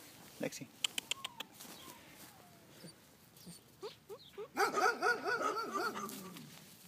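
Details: Colorado Bernese Mountain Dog puppy whining: a few short clicks and taps, then brief upward yelps, ending in a longer wavering, pulsing whine with strong harmonics over the last two seconds.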